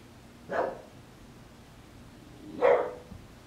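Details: An English Bulldog puppy, recorded 20 December 2016, gives two short, gruff barks about two seconds apart.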